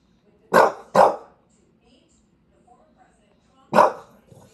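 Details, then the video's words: Bulldog named Walter White Jr. in New York City on a long barking rant: two loud broad barks in quick succession, then a pause and a third bark, with quiet room sound between. "Part 2 of the 15 minute rant"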